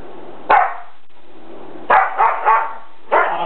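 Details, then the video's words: Dogs in a living room during a play fight: sharp, harsh barks, a single one followed by a quick cluster of three and another, against a constant hiss. "Dogs Howling in living room"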